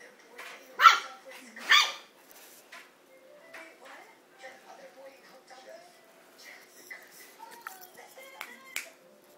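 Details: Two-month-old female miniature schnauzer puppy, a few days after arriving home, exploring and prancing; two sharp high barks early on, then faint scattered squeaks and household clicks, with a person calling to her just before.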